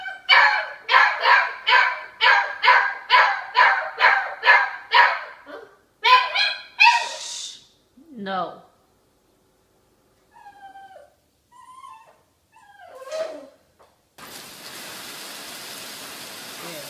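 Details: Doberman dog in a funny home compilation, giving a fast run of about a dozen sharp, evenly spaced barks over five seconds, then a couple of yelps and a whine, followed by quiet and a steady hiss.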